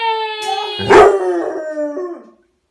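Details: A male Basset Hound joins in as a nursery rhyme mentions his name, giving a long, mournful howl that slides gently downward before trailing off.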